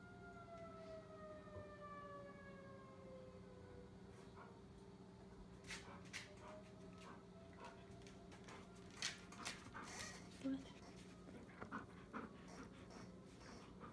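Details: Korben, a dog, howls along with the monthly test of the civil alert tornado sirens. A few long, falling howls with clear overtones sound over the first four seconds, set against the steady droning siren, followed by scattered clicks and knocks.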